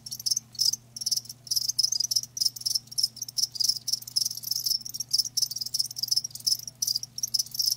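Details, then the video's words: Crickets kept live, producing rapid high-pitched chirp bursts that follow one another almost without pause, the shrill pulses overlapping from more than one insect over a soft constant low hum. "Live Crickets 60min "Natural Sound""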